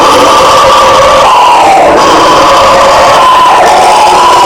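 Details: Brazilian howler monkeys (guariba) calling: a harsh, sustained roaring drone of overlapping voices that sags in pitch around its midpoint, then climbs back and carries on unbroken.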